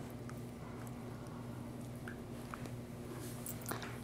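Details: Indoors, soft squishing and chewing clicks sound over a steady low electrical hum, with no animal voice.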